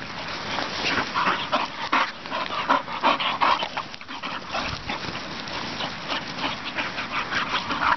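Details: Young English Bull Terriers, a pair, play-fighting in a farm field, giving quick repeated throaty grumbles with a tonal edge, densest in the opening seconds, among heavy panting and scuffling of bodies.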